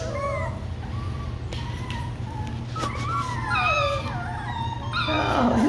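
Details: Kiwi's Labradoodle puppies give drawn-out, howl-like whines with a few short yips, rising and falling, followed by a burst of rustling near the end as a person talks about feeding them over a low hum.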